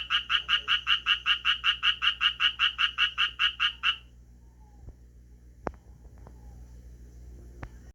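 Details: Japanese tree frog, calling and occasionally shifting position, gives a four-second train of around sixteen evenly repeated raspy croaks, then falls silent apart from a few sharp taps and faint rustles.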